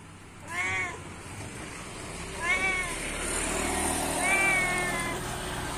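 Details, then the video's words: Cat calling to its companions: three short, arched meows about two seconds apart over a steady background hiss and low rumble. "Suara kucing lucu memanggil temannya"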